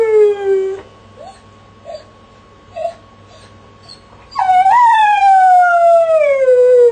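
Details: A crated dog named Jessie howls, a tone gliding down fades out, followed by a few soft short whimpers, then a loud long howl that jumps up and glides steadily lower over nearly three seconds; low hum in background.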